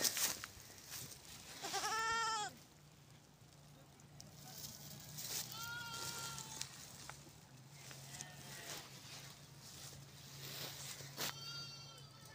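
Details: White goat in snow bleating: a strong quavering bleat at the start, followed by several quieter, shorter bleats spaced a few seconds apart, with a steady low hum and wind-like hiss.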